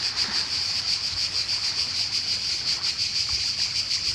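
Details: Summer cicada chorus on the Croatian coast, a loud unbroken rasping buzz pulsing rapidly about three times a second, with low lapping water and faint splashes beneath.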